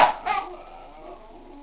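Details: A pet dog gives two quick, sharp yelps in the first half-second, then a faint whine trailing off in a quiet room.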